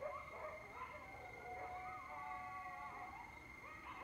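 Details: Wild coyotes heard late at night in mid-October from a porch overlooking Lake Mendocino, California. Several faint, distant wavering howls overlap, and a steady high insect-like drone runs throughout.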